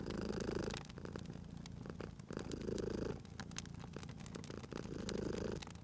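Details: Sleeping domestic cat purring beside a crackling fireplace in a cozy spring setting; low rumbling purr swells in three long breath cycles, with sharp wood-fire pops and crackles scattered throughout.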